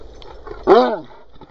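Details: Cocker Spaniel named Benjie barking to demand that a ball be thrown: one sharp, harmonic bark with a slightly falling pitch, quiet background before and after.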